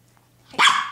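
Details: Remy, a pet Chihuahua, performs tricks indoors and gives a single sharp, bright bark on the command to speak, a short burst that starts abruptly and fades quickly, right after quiet praise.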